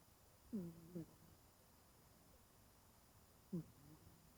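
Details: Snores from Genki-kun, a 20-year-old cat sleeping soundly curled in a ball. Short, low, buzzy-toned breaths come in a pair, followed some three seconds later by another brief nasal snore against a quiet indoor background.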